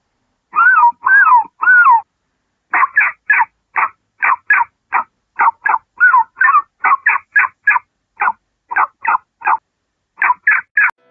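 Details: Fox giving a series of about thirty short, harsh, yelping barks. The first three are longer, with a wavering rise and fall. The rest come quickly in pairs and triplets with brief pauses, against a quiet, clean background.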